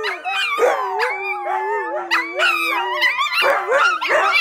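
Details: AKC Siberian Huskies, a pet pack singing together: overlapping wavering howls, long sliding tones rising and falling, several voices layered at once with short yips breaking in.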